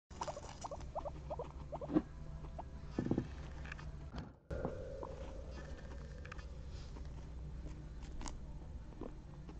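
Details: Guinea pigs eating corn on the cob, recorded up close: a quick run of short, pitched squeaks in the first second and a half, then a louder squeak near two seconds, over steady crunching and rustling as they feed.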